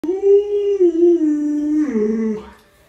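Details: Alaskan Malamute named Luoluo (洛洛), doted on by grandma, which is feeding it meat and bones. It gives a long, clear, tonal howl lasting over two seconds. The howl holds steady, then dips and wavers lower near the end before fading.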